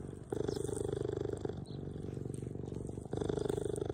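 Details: Two orphaned cheetahs, which lost their mother at a few weeks old and now live in a care centre, give a steady, rapid, low rumbling purr with pulses throughout and a brief dip partway through.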